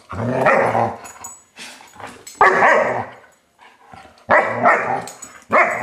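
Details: Five-month-old German Shepherd puppy barking indoors in loud, broad bursts, about four barks with gaps of roughly two seconds, some with a growling edge.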